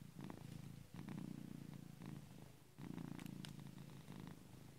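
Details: Sleeping cat producing a very noisy purr, a low rough rumble in about four breath-linked surges, each swelling then fading, with a brief quieter gap between them and a few faint ticks.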